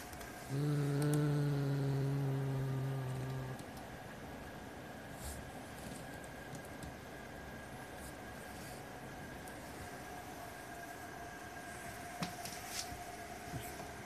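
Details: White Siamese cat guarding a black toy rat it will not share, giving one low, steady, droning growl lasting about three seconds, then falling silent while a faint indoor hum continues.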